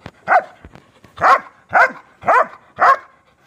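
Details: Female Dobermann barking: five deep, gruff barks, the first alone, then four spaced about half a second apart, each short and forceful, with a quiet room otherwise.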